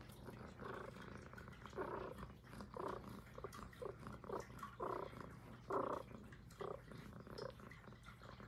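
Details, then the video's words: Highland Lynx cat named Puff, a female, purring close up in an ASMR recording; rhythmic rumbling bursts swell and fade roughly once a second with each breath, over a faint steady low hum. "Who’s the Cutest l ASMR l Highland Lynx Cat"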